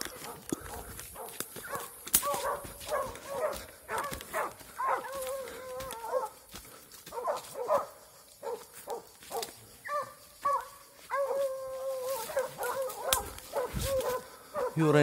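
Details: An 8-month-old Plott Hound, released during a hunt and in a fight, barks and bays repeatedly in short, harmonic bursts, with other dogs and noise around.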